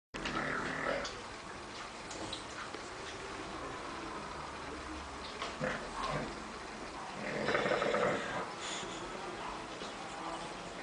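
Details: Sleeping bulldog snoring: quiet raspy, rattling breaths in a steady background hiss, with one louder pulsed snore swelling around seven to eight and a half seconds and fainter ones earlier.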